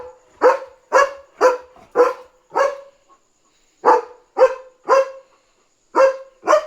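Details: German Shepherd named Leo barking at night at home, alerting that another dog is outside; sharp barks in quick bursts of four to five, about two per second, with short pauses between bursts.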